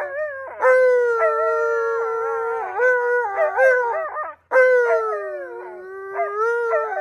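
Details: Two Alaskan Malamutes, Tonka and Monroe, vocalise in protest over their green, filthy pool; drawn-out mournful howls holding a level tone with quick warbling inflections, briefly cut off before a fresh long howl resumes.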